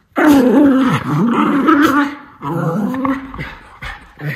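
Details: Miniature Schnauzer brothers at energetic indoor play, one vocalizing in a mean-sounding but playful way. Loud, wavering growl-snarl with shifting pitch opens strongly, then a second, weaker rumbling bout fades out.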